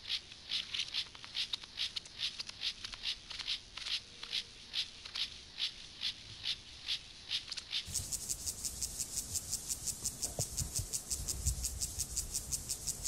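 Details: Acridine grasshopper Gomphocerus sibiricus singing as part of sexual behaviour. Regular high, scratchy pulses at first, then a brighter, faster, denser rasping train in the second half, with faint low knocks.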